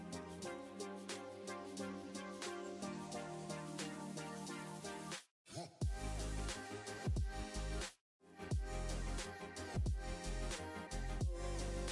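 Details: Upbeat instrumental music with steady drums and layered melody, broken by two brief silent gaps; no animal sounds.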